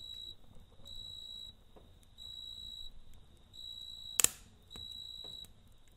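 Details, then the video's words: At night near a crackling campfire, a cricket repeats high, buzzy chirp bursts about once a second, with brief gaps, a sharp double snap of the fire and faint low rumble beneath. "Kamp Ateşi ve Cırcır Böceği Eşliğinde Dinlendirici Gece Sesi"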